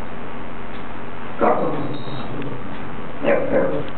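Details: Xio the dog barks at balloons, giving two short, harmonic barks about two seconds apart over low rumbling background noise.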